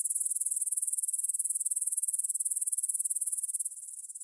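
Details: Evening stridulation of grasshoppers at 9pm, 6 September 2020, in a field by the Svensky monastery, Bryansk, Russia, Tascam DR-44WL stereo: dense high-pitched pulsed trilling, dropping abruptly to a quieter chirr near the end.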